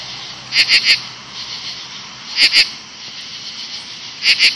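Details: 17-year cicadas by bushes in late evening, August 2013: very loud, harsh, buzzy pulses in quick triplets about every two seconds over a constant high, shimmering drone from many cicadas calling together.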